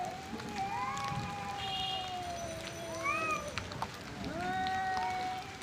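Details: Angry male cats in a fight over their area, long wavering yowls that swoop up and down, overlapping moans from two animals, with a steady hissing background.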